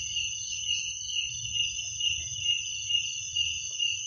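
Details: Short stretch of nocturnal cricket song: an unbroken high metallic ringing with wavering pulsed chirps, only a faint low murmur beneath.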